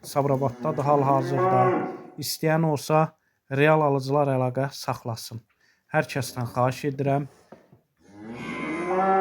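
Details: Cow that has calved for the first time, kept with her male calf and for sale, lowing repeatedly in deep, wavering moos broken by short silences.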